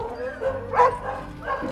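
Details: Dogs at a dog refuge in Alasora near Antananarivo, Madagascar, give short, harmonic barks in the distance as visitors arrive, while a person talks nearby.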